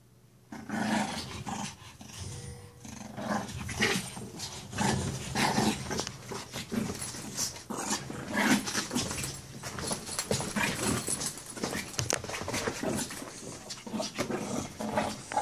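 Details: A 16-week-old Shih Tzu puppy growls and snarls in bursts while play-fighting a stuffed toy dog.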